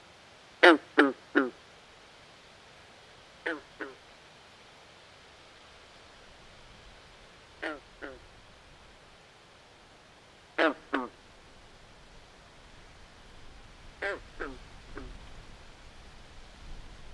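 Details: Frogs by a swamp at night give brief, raspy, almost duck-like croaks in quick pairs and triplets, with long quiet gaps between clusters and only a faint background hiss.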